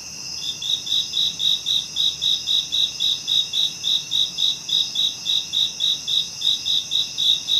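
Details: Continuous cricket chirping: evenly spaced high, pulsing chirps at about four per second throughout, backed by a steady shrill insect drone.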